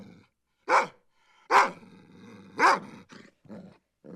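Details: Domestic dog barking indoors: three loud, sharp barks about one second apart, each with a short low growl or grumble trailing between them.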